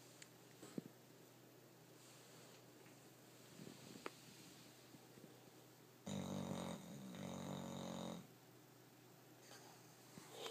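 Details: Sleeping dog Rocky, whose snoring is likened to a person's, breathes quietly amid faint clicks before a loud, rasping snore swells for about two seconds with a short catch in the middle, then fades back to stillness.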